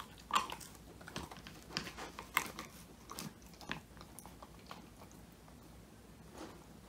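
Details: Woody, a male Old English Sheepdog born in 2019, crunches a whole quail as his first homemade treat, filmed on a phone indoors; irregular sharp bone-cracking bites and chewing bursts spread across the clip in a small quiet room.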